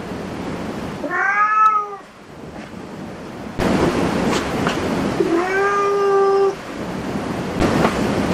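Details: Two clear meows from a cat at a cat cafe: a short arched call, then a longer, steadier drawn-out meow, separated by quiet and a burst of background noise.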